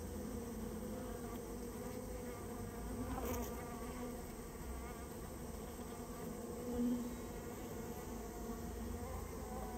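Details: Japanese honey bees, a rare colony taken out of a storehouse where they had nested, hum in a constant low buzz, broken by a brief knock and a short louder surge near the seventh second.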